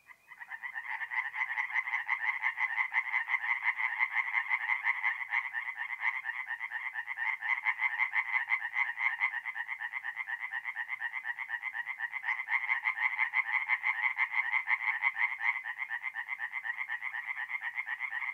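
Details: Forest pond at night in mid-April, north-east Italy, with singing tree frogs: a dense, unbroken wall of rapid rattling croaks from many frogs, some brighter high pulses layered over it.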